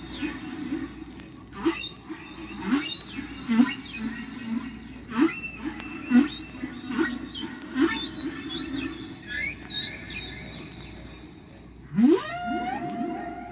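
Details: Humpback whale, a lone singer at natural speed: a rapid series of short rising squeaks and whoops over a low rumbly tone, followed near the end by a long upward slide into a sustained high moan; faint constant background hum.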